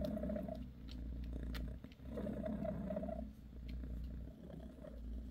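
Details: Bassy the mother cat purrs as she massages her kittens: a thick low rumble rising and falling with her breathing, swelling in two long phrases with soft gaps between them.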